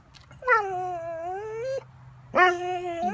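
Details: A Catahoula dog begging for breakfast gives two drawn-out, tonal whines. The first is long and slightly dipping and ends abruptly. The second starts with a sharp rise and then holds steady.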